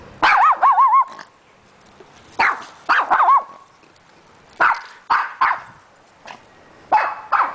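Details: Pet dog meeting a poodle: short bursts of harmonic barking with wavering, yelping tones, several barks grouped together and repeated in bouts about every two seconds, with a person's voice greeting the dogs between bouts.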